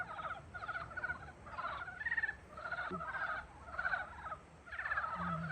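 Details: Frogs calling to welcome spring: a dense chorus of rapid pulsed trills and croaks, repeated in bursts about every second, with overlapping callers and a quiet low rumble underneath.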